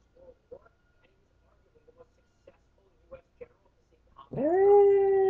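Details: Male pet dog that howls whenever it thinks it is alone; faint taps and knocks give way near the end to a sudden loud howl that rises quickly, then holds a steady pitch.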